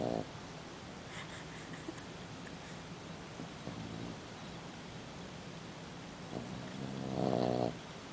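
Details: A sleeping Boston Terrier pup of six months snores with a brief snort at the start, a soft rasp midway and a louder buzzy snore near the end, over a quiet background hum.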